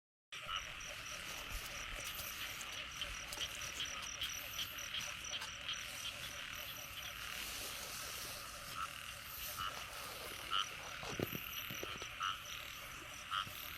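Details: Frogs calling at night during the early rains of the year in Cambodia, while people hunt them; a dense, steady chorus of buzzy and trilling calls with insect-like high tones throughout and some rustling and splashing.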